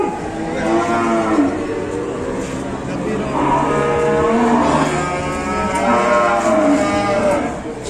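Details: Banteng cattle unloaded from a truck at Pasar Pon market in Ambarawa, Indonesia, lowing in drawn-out, harmonic moos, three main calls spread over eight seconds, with market chatter and crowd noise behind.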